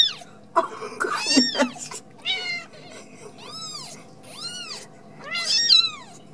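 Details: Ragdoll kitten raised indoors at a cattery in central Kansas, giving a series of high, arched meows, some thin and rising-falling, about five calls spaced unevenly, with a woman's soothing voice and a soft cough early on.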